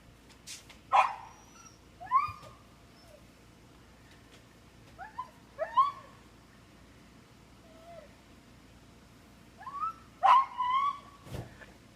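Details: Three-year-old male Siberian Husky screaming while tied out, a strange high cry; several short rising yelps and wails in bursts spread over the recording, with quiet gaps and a loud knock near the end.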